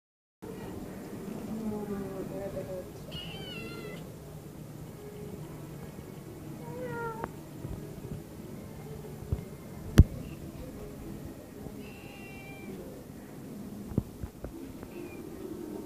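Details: Domestic cat meowing because it wants privacy; several short tonal meows, some rising then falling, scattered through the recording over steady Spanish conversation and a sharp click midway.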